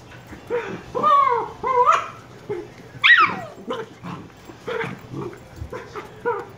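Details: Shiba Inu puppies Niro and Kyno, 118 days old, give a run of high, whiny yips and short barks. The calls have a rising and falling pitch and come in uneven bursts about every second or two, with quiet gaps between them.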